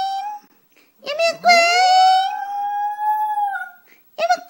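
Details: ['Puppy howling indoors: a short yelp, then a long steady tonal howl rising slightly and holding for about two and a half seconds before fading, with a brief voice at the end.']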